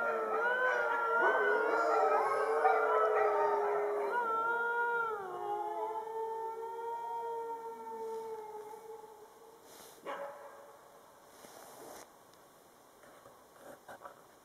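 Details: Fifty huskies howling together by full moonlight in winter after their meal; a thick chorus of wavering howls for about six seconds thins to a few long falling tones, then fades to near silence with scattered faint noises.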